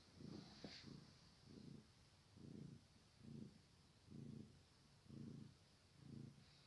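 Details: Kitten purring, a steady rhythmic low rumble pulsing about once a second with a soft higher hiss above, quiet and close.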